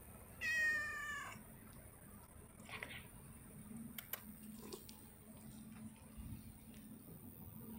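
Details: Cat playing, its session interrupted by another cat; one drawn-out, rising-then-falling meow near the start, followed by quiet room noise with light taps and rustles.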